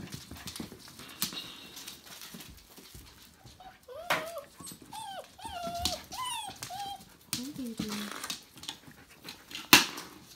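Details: Litter of five-week-old Tamaskan puppies giving thin, high whines and whimpers, several arching upward then sliding down, in a burst mid-clip, then a lower drawn-out whimper, amid rustling and handling noises.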